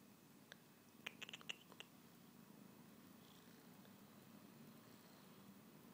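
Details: A tired cat named Fathi purrs continuously indoors in a soft low rumble, captured on an iPhone, with a quick cluster of high clicks or chirps early on.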